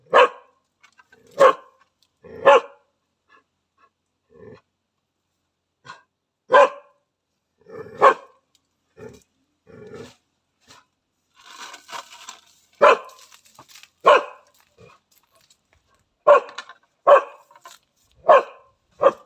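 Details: Thai Ridgeback, a loyal Thai house-guarding and hunting dog, barking in sharp single barks, a dozen or so spread unevenly over nearly twenty seconds, sometimes in quick pairs, with quiet gaps and faint rustling between.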